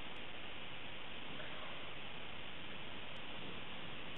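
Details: Steady hiss of broadband static noise throughout, with no animal voice heard.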